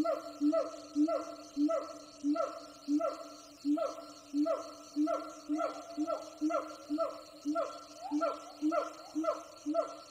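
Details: Siamang gibbon troops calling in the jungle, heard from afar while hiking; eerily human-like rapid series of loud barking hoots, roughly one and a half per second, steady and rhythmic across the whole stretch.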